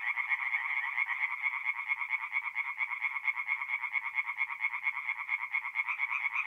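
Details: Mid-April night at a north-east Italian forest pond, tree frogs singing; an even, rhythmic stream of fast pulsed croaks, slightly softer and more regular than a packed chorus, nothing else audible.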